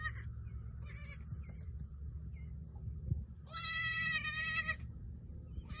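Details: Newborn female goat kid bleating: a brief cry early on, then a long, loud, wavering bleat of about a second with strong harmonics, against constant low-pitched background hum.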